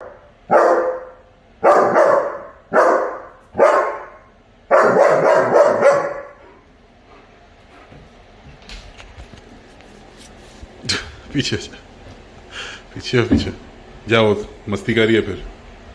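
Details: German Shepherd puppy barking while chasing a squirrel: five loud, harsh barks in the first six seconds, then quieter scattered yaps and voices with music later.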